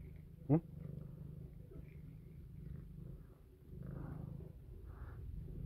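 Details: Playing female house cat purring while nibbling a finger without biting hard; low throbbing purr runs throughout, with one sharp click early on and soft rustling.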